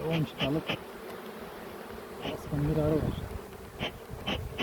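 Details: Honey bees at an opened hive during a queen check after the honey harvest in a Ceyhan village, smoke used lightly; a low droning hum with scattered clicks of hive handling and short bursts of Turkish speech.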